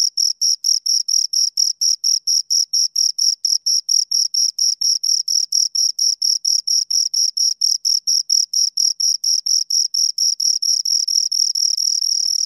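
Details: Two crickets chirping close up, a clean high-pitched pulsed trill of rapid short chirps repeated steadily about every quarter second, running together near the end; no other sounds.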